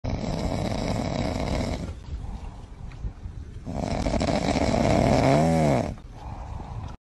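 A seal or sea lion gives deep, rasping, snore-like grunts, ending in a brief rising and falling moan.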